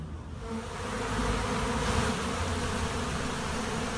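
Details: Monastery apiary honey bee swarm, the buzzing swelling in the first second then settling into a thick, constant drone of many bees, with slight pulsing in the low hum.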